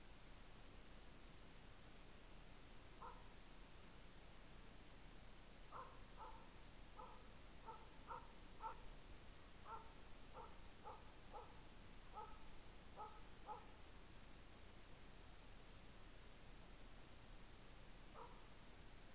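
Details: Norwegian Elkhound named Lakkarin Riitu at work on moose, 29 August 2014; distant barks arrive in loose bursts, several per second between the third and fourteenth seconds, over steady low background hiss.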